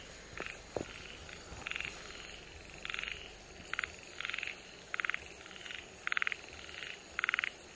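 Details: A Namie's frog, a protected species in Okinawa, recorded on 31 July 2022, gives short, raspy pulsed calls repeated roughly once a second over a steady insect hum.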